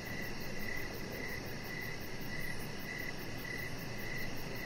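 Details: Crickets chirping in the evening beside a deck with decoration lights where a chihuahua puppy lies: short, even high chirps repeated about every 0.6 seconds over a steady low background hiss.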